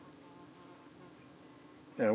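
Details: Honey bees at a hive entrance in the UK as flies move in among them. A soft, steady hum is followed at the end by a sudden loud, close buzz as a flying insect passes right by.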